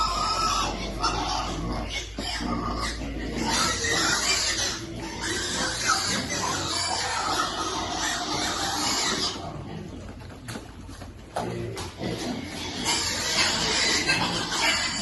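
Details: Baby piglet waiting for food during feeding, giving dense, rapid squeals and grunts, a noisy busy stretch with brief pauses and some human voices mixed in.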